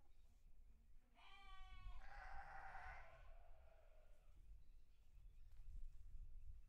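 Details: Sheep on a farm bleating once: a quavering, harmonic cry about three seconds long that fades away, set against steady low-pitched rumble and ambient noise.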